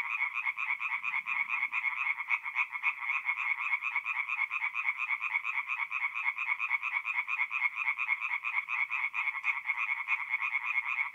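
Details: Singing tree frogs at a nighttime forest pond in North-East Italy, mid-April: a thick, steady chorus of fast harsh croaks, pulsing rapidly and evenly, otherwise quiet.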